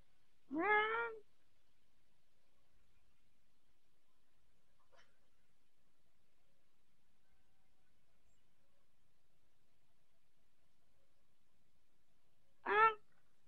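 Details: Orange Persian cat giving two drawn-out, harmonic-rich meows that rise then fall slightly. One comes near the start and one near the end, with a long quiet stretch between them.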